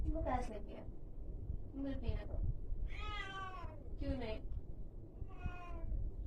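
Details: Angry cat making a series of short, strained meows and one longer whining cry midway, with a steady low rumbling hum in the background.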